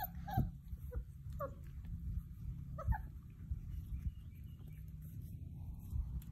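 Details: Basset Hound puppies at play give a few short, high yips scattered across the recording, separated by long gaps, over a steady low hum.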